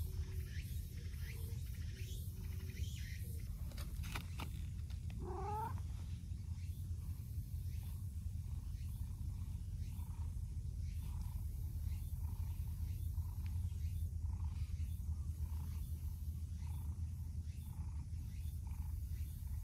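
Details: Outdoor stray cats, an affectionate brown tabby pushing in on a mild-mannered orange-and-white companion; one brief rising meow followed by quiet, with soft rhythmic chirps and a constant low rumble behind.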